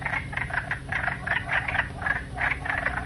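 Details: Wood frogs, nicknamed duck frogs, in a Canadian prairie wetland give harsh, clucking, quack-like calls in quick overlapping bursts. Several callers chuckle together about three times a second over a low background hum.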